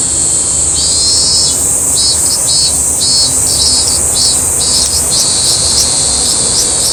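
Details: Song of a robust cicada in Toyama city, Japan: a series of rhythmic, buzzing high pulses about twice per second, accompanied by a constant piercing high whine in the background.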